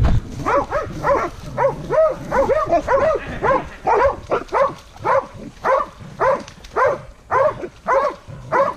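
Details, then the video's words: Hunting dogs confronting a wild boar bark in rapid, steady bursts, roughly two barks per second, each bark a short harmonic yelp with energy stacked between mid and upper pitches; several dogs overlap near the end. "HUNTING DOGS VS WILD BOAR"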